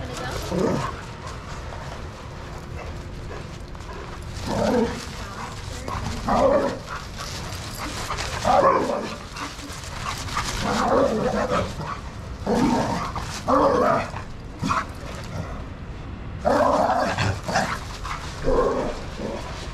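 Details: Shelter dogs playing together in a yard at Pima Animal Care Center, Arizona, under handlers' watch; loud, sharp barks burst out in uneven bouts every one to three seconds, with human voices in the background.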